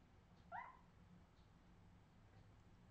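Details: Australian Terrier puppy from 2018 giving a single short rising whimper, a thin upward-sliding cry lasting under half a second, followed by quiet room hum.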